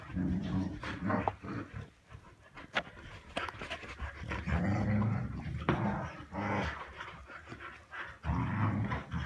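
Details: Pet Samoyeds indoors play fighting over a soft toy cow. Rapid, irregular, breathy panting with low rumbling growls comes in bursts and pauses, with scuffling and thumping from the tussle.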